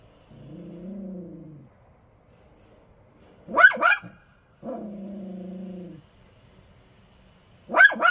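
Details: A Bichon Frise pet dog, said to be working hard on duty, alternates long steady low growls of over a second each with sudden sharp double barks; a faint high electronic tone lingers in the background.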